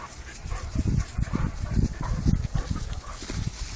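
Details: Weimaraner. Deep, short vocal bursts from a Weimaraner come in quick succession, low and throaty like grumbles or soft barks. A faint background hiss sits behind the dog's voice.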